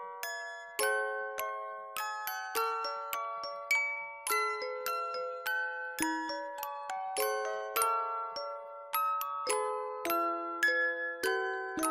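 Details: A bright glockenspiel melody of chiming mallet notes plays throughout, and no animal is heard.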